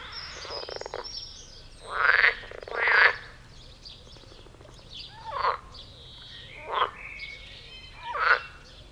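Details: Several mating frogs in a pond, jumping about; loud, rough, buzzy croaks in short bursts, a strong pair around two to three seconds, then three shorter croaks spaced roughly one and a half seconds apart, with faint croaking between.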